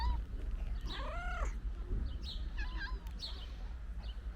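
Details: Ginger stray cat with its friends at a meal of pate, uttering arched, rising-then-falling mewing cries, followed by quick clicking bites and smaller chirpy notes against a low rumbling background.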